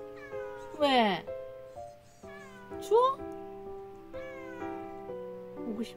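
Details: Talkative countryside-raised pet cat outdoors, meowing endlessly at its owner, who asks if it is cold and wants to come in: two loud, drawn-out meows with sweeping pitch about two seconds apart, over gentle background music and a person's speech.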